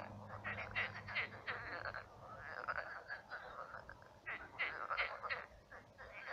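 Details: Night chorus of numerous frogs in a shrunken, marshy pond; rapid rattling croaks in loud overlapping bursts separated by brief lulls, with a faint low hum early on.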